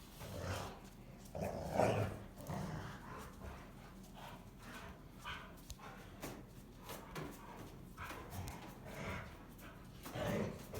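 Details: Two female Rottweilers playing together growl low and rumbling in bursts, with huffs and scuffling between, as they argue over who is tougher; play growl.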